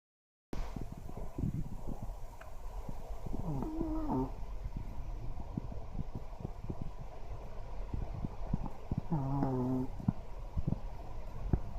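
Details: Smooth-coated Chihuahua named Choro asleep indoors, snoring and sometimes giving dreamlike 'wow wow' sleep barks. Soft low rhythmic snoring pulses run throughout, broken by two short whining, yelping sleep-talk sounds.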